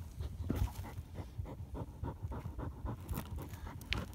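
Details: Rapid, rhythmic breathing of a German Hunting Terrier working a badger hunt. Short huffs come about four per second, with brief scrapes and a sharp click toward the end.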